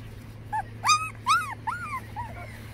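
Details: Boston Terrier puppies, a litter named Jock, Max, Blue Girl, Beast and Rusty, giving high whining whimpers and yips that rise and fall, several overlapping cries in under three seconds over a steady low hum.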